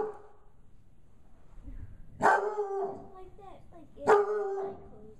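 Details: Five-month-old bloodhound puppy indoors, frightened by a gorilla puppet, gives two loud, deep, harmonic barks about two seconds apart, each trailing into a drawn-out, wavering tail, with quiet room noise between.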